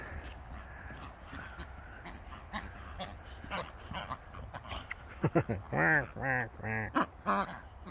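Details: Pet Boxer dogs excited over receiving yet another new toy; after soft clicks and rustling, a run of five or six high, arching whine-like squeals in quick succession, each with stacked overtones, while a person talks to the dogs nearby.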